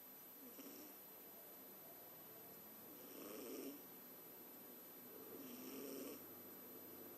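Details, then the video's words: Opie, a pet Scottish Fold cat, snoring in its sleep like a little old man: two soft, raspy snore breaths, roughly two and a half seconds apart, over steady background hiss. "Scottish Fold snoring like an old man"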